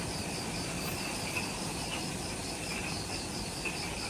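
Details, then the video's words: Insects in jungle at the Mount Omoto trailhead, Ishigaki Island, Okinawa, Japan, at twilight just after sunset: a steady high hiss with rapid pulsed trills at two pitches, over a constant low rumbling background. "Forest Twilight Sounds – Ishigaki Island | Relaxing Jungle Ambience with Insects"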